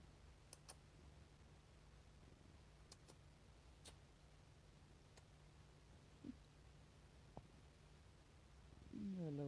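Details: Male pet cat purring while showing affection to its owner indoors: a steady low rumbling hum runs throughout, with a few soft clicks and a brief voice sound at the very end.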